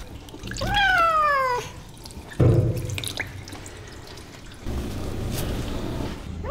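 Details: Persian cat after a bath, kept in a closed pet drying room: a single drawn-out meow that slides downward in pitch over about a second, then dripping and running water sounds through the rest.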